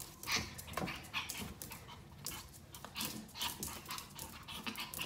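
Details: Pomeranian Yorkie dog breathing in quick, uneven, breathy huffs, with soft airy bursts coming about twice a second and occasional sharper clicks between them, and no other clear sounds around.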